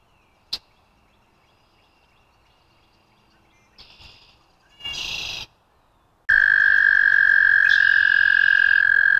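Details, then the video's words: After several seconds of quiet background with a sharp click and brief rustling noises, an American toad bursts into a loud, steady high trill that continues for the last three seconds. "American Toad - Calls"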